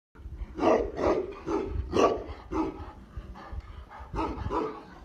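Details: Tibetan Mastiff barking: deep, full barks spaced about half a second apart in a short run, then quieter, rougher barks trailing off toward the end.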